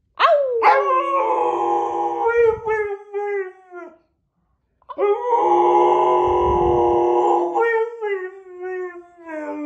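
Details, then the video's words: Siberian Husky "talking": two long, drawn-out howling vocalisations, each starting high and sliding down into a steady, richly harmonic tone with wavering, yodel-like inflections near the end, separated by a short silence. "Talking husky"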